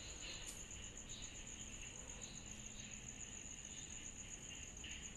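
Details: Summer night chorus of cicadas: one unbroken shrill, rapidly pulsing tone, with scattered lower chirps breaking in irregularly about once a second over soft low rumble.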